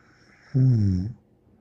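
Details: A single deep, rattling snore from Bear the dog, lasting about half a second, after a faint breathy hiss, then quiet.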